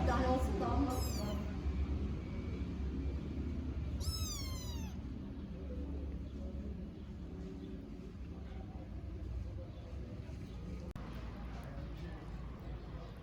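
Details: Tiny stray kittens in Istanbul meowing for their mother cat: a few high, sharply descending meows near the start and around four seconds, over steady low street rumble with Turkish speech nearby.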